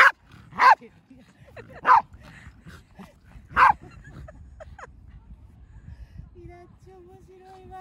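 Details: Pembroke Welsh Corgi, a pet dog at home, giving three loud yapping barks in the first four seconds, then quieter voices and a faint steady electronic tone at the end.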